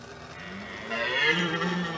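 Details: Red deer stag roaring during the rut in France, 2017: after a quiet start, a loud, hoarse, harmonic bellow rises at about the one-second mark and holds steadily to the end, over faint background hiss.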